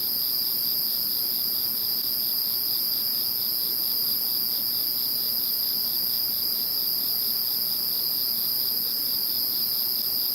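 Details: Background sound of insects after Typhoon No. 21: two steady high bands of continuous shrill trilling, one very high, with light pulsing underneath, running evenly without a break.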